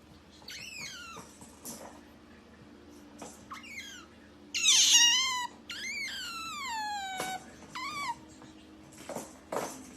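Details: Cat-like calls of a pet otter indoors: a string of falling, whistled squeaks and longer sliding wails, one brief harsh squeal in the middle, over a faint steady hum.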